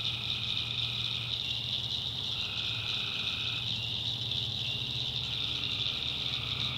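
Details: Night swamp chorus of tree frogs in the North Carolina backwoods: a continuous high-pitched trilling wall of sound with a few longer lower trills rising out of it, over a faint low droning hum.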